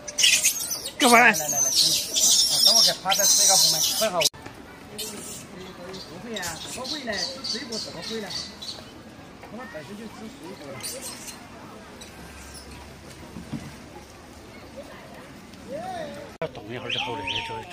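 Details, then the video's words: Wild macaque with its head stuck, screaming for its mother to come rescue it: loud, harsh, high-pitched screams fill the first four seconds, followed by softer wavering calls and voices. "The stupid monkey got his head stuck and couldn't get out, screaming for his mother to come save him"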